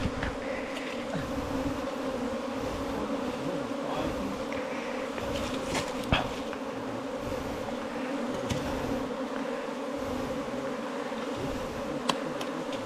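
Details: A dense, even hum of honey bees at their nest in a 4-metre bamboo stem runs steadily throughout, with only a few faint taps.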